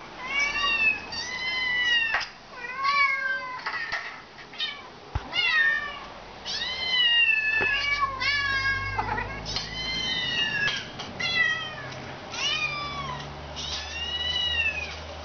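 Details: Tippy the pet cat meows back at laptop kittens calling for their food. A long run of high, arched mews follows, some bending sharply up or down, over a faint low hum in a small room.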